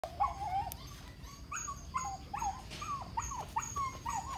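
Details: Young male German Shepherd whining: a string of short tonal cries that rise and fall, repeated about every half second, over steady low background rumble.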